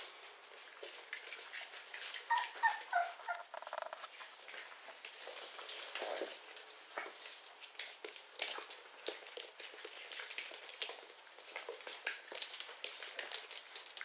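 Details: Four-week-old Beagle puppies from litter Z at the Laciata Sfora kennel, indoors in a small room: thin high whimpers and squeaks cluster early, then give way to steady scuffling, pattering paws and sharp clicks.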